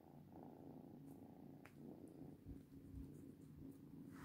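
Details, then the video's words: Steady purring from a cat, a soft low vibrating hum with light rustling and a faint click. "FUNNY VIDEO WITH CATS ONLY WITH SOUND"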